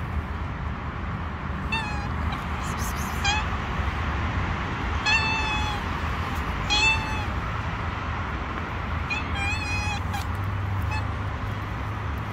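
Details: Stray kittens living on the street, wary of a person and keeping their distance, give high harmonic meows in short bursts around two, five, seven and ten seconds over steady low traffic rumble.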